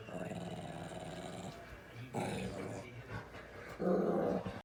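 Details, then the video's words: Labrador Retriever producing a low, rumbling, talking-like growl, held for about a second and a half, then two shorter grumbling bursts, in a small indoor room. "So funny sounds like Bandit is talking"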